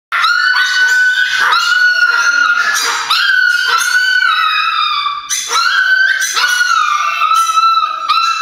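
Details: Indoor Chihuahuas, more than one, excitedly calling because they think grandma is at the door: continuous high, whining howls and yips that slide and overlap, each note held about a second with breaks between.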